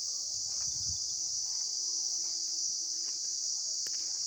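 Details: Field recording of insects: an unbroken shrill buzzing at a fixed high pitch, with a short low rumble near the start and a sharp click near the end.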